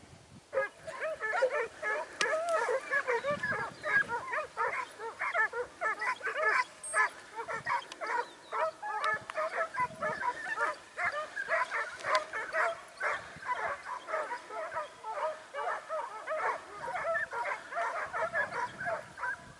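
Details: A dense, continuous chorus of yelping, baying barks from Segugio Italiano hounds during training at Sofiko, Evros, 12 September 2018. The barks overlap steadily for the whole stretch.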